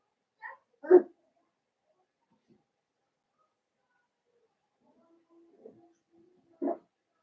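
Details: Indoor puppy pen holding five blenheim Cavalier King Charles Spaniel puppies from Paris and Spike, born at New Year. A sharp puppy bark is followed by silence, a soft whine, and another short bark near the end.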